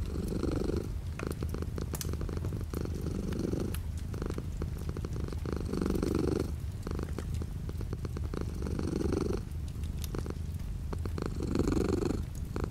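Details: Domestic cat purring indoors, light rain falling outside the window; a steady low rumbling purr swelling in regular breathing cycles about every two seconds, under a constant hiss of rain.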